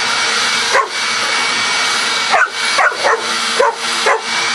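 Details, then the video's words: Coco the dog barks at a vacuum cleaner: about five sharp barks, one near the start and then a tight series, each cutting through the constant droning noise of the running machine. "Coco Barking at Vacuum Cleaner"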